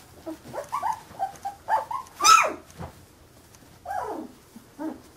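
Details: Fifteen-day-old Carolina Dog puppies whining: a string of soft wavering squeaks, then one loud sharp squeal in the middle and a couple of drawn-out downward whines near the end.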